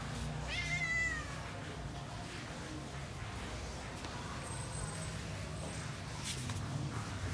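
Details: Leopard cat kitten, described as feeling alone and missing its friends, gives one short rising-then-falling harmonic meow near the start, followed by steady low background noise and a few faint clicks.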